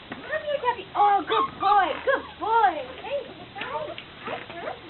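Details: Portuguese Water Dog puppies at Chulsa Kennel on 13 September 2014 as Tessa says goodbye to them: arching, rising-and-falling whimpers and whines in quick succession, with people talking and praising a good boy.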